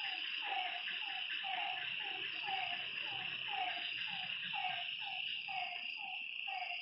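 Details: Frogs at a lakeside during the night call with short, falling notes that repeat in irregular series. A persistent high insect trill fills the background.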